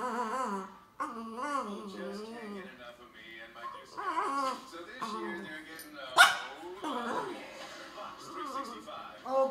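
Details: French Bulldog complaining: a string of grumbling, yodel-like whines that swoop up and down. A sudden sharp bark-like burst comes about six seconds in, followed by more moaning.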